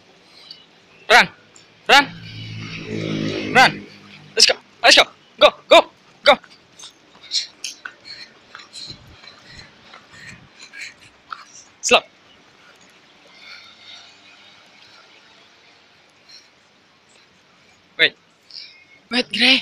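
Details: Pet Alaskan Malamute giving one drawn-out, low, rich moaning woo with a dense harmonic stack, lasting over a second. Loud sharp clicks and taps come before and after it, with people talking and faint chirps in the background.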